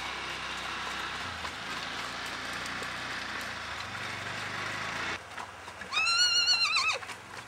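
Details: Icelandic horse foal named Kaldi frá Geitaskarði, recorded 21 July 2012. After about five seconds of steady broadband rushing noise, a single loud, wavering whinny rises and falls for about a second, rich in stacked harmonics, then cuts off.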